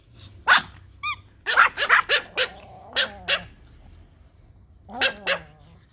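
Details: Several Pomeranian toy dogs bark at a whistle: sharp, high yaps in uneven bursts, a brief rising whistle between them, and a drawn-out whining bark near the end.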